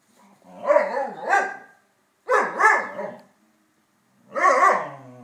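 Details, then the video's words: Saluki and Pharaoh Hound chatting together: three drawn-out, warbling howl-like vocalisations about a second long, each wavering up and down in pitch, separated by short silent pauses. "Indi talks to Asha"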